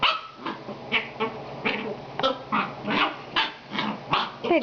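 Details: Itchy female puppy giving rapid, repeated breathy whines and grunting yelps, about two or three per second, each a short noisy burst, continuing steadily throughout.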